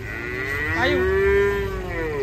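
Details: Angry cattle being unloaded from a truck gives one long, steady, drawn-out moo. The low tone holds level for about two seconds, with faint voices and background noise.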